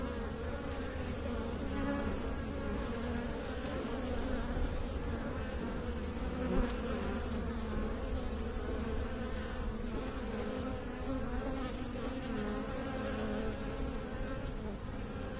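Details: Sustained buzzing of bees, a dense layered hum with clear tonal bands, steady and unbroken for over fifteen seconds.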